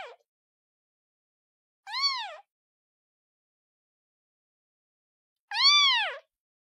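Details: Kitten calling its mother: a clipped cry at the start, then two separate arched meows a few seconds apart, the second louder and longer, with silence around them.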